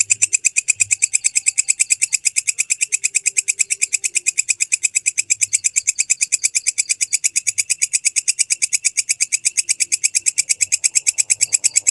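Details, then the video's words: Walang kecek grasshopper, offered as tutor sound for training songbirds, giving a steady run of sharp, high, raspy chirping pulses, about three per second, evenly spaced and unbroken for the whole stretch, with no other clear sounds. "MASTERAN BELALANG KECEK SUARA JERNIH"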